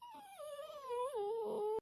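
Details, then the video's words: Talkative male pet dog giving one sustained, tonal whine under two seconds long, sliding gently downward with small wobbles in pitch. "My dog talks to me constantly, just like a human. He never stops talking."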